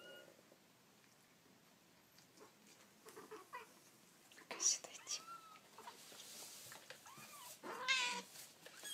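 Kittens give thin, high mews, short rising and falling squeaks repeated between pauses.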